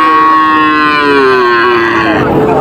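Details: Heifer calf at the Panchbibi cattle market, Bangladesh, 23 June 2025, giving one long, loud, harmonic moo that slides slowly downward in pitch over more than two seconds before breaking off into rougher noise.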